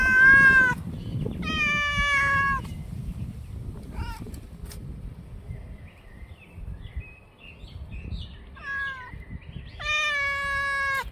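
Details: A brown, black and white cat howling, recorded on 10 May 2024 at 6:58 in the morning: loud drawn-out harmonic wails, first falling then level, repeated several times with pauses between, a softer short cry near the ninth second, faint outdoor background.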